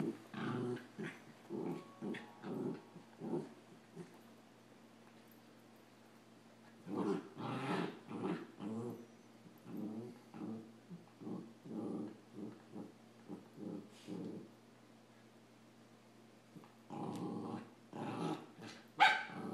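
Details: Play fighting between puppies, a Samoyed named Adam and a Rat Terrier, heard as bursts of throaty growling and snarly grumbles in clusters, a quiet gap midway, then a renewed flurry ending in a sharp yelp-like snap.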